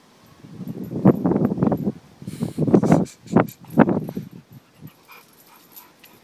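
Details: Two puppies play fighting for the first time; low rumbling growls and whiny yelps come in bunched bursts over several seconds, then fade into quieter rustling.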